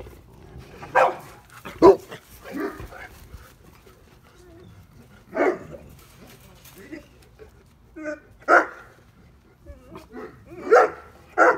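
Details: At night in a yard, an 8-week-old male Neapolitan Mastiff puppy barks at his mother, taking her for a stranger. Scattered harsh barks are spaced irregularly over several seconds, with a human voice speaking between them.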